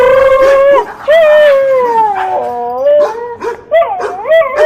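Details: A dog howls in long wavering tones that fall and then rise again, broken by short yips and barks.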